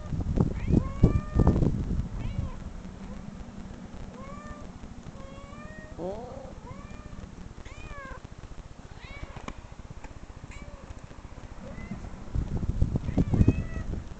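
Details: Domestic cat meows played back from online videos to a dog, who growled and searched for the caller; a dozen arching, wavering meows come at uneven intervals, with loud low rumbling bursts near the start and end and steady background hum.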